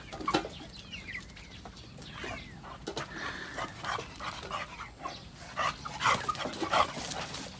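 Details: Chow Chow dog giving scattered whines and short yelping cries, irregular and loudest near the end, over background clatter and noise.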